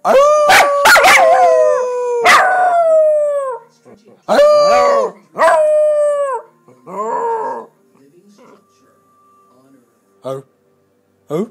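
A Miniature Pinscher howls in long, wavering, falling notes, with a few yips between them.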